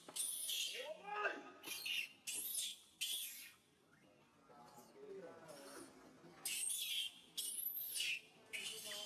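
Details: Pitiful loud crying of baby monkey SUCA after SUSAN grabs him: shrill noisy screams in separate bursts, with wavering arched wails and a quieter pause midway before the screaming resumes.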